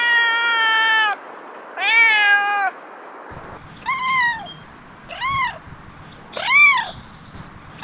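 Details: Cat giving two long, steady, flat-toned meows, followed by three shorter, sharply arched mews that rise and drop quickly, spaced about a second apart, against a quiet background.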